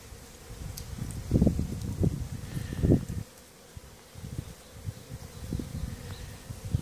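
Honey bees give a low, steady droning buzz, with louder swells as individual bees pass close.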